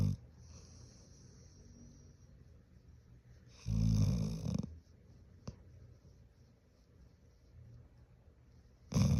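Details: Large pet Golden Retriever snoring as if faking sleep: quiet low rumbling breaths, then a loud rasping snore burst lasting about a second midway and another loud snore at the very end.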